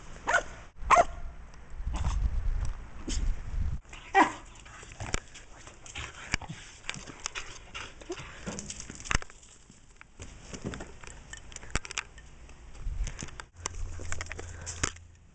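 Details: Short barks and huffing bursts from Missy, a female pet Shetland Sheepdog that was overweight and ill, scattered irregularly over fifteen seconds, with low rumbling handling noise in between.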